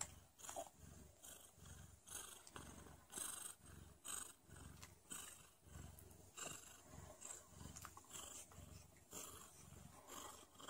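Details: Pregnant mother cat purring just before labour begins, a deep throbbing purr rising and falling in steady waves about twice a second, close and continuous throughout, with light rustling above.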